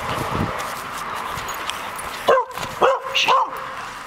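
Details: A purebred Border Collie about a year old, rescued, playfully chasing and herding the camera around; three short high yelping whines with rising and falling pitch near the end, after a quiet stretch with room noise.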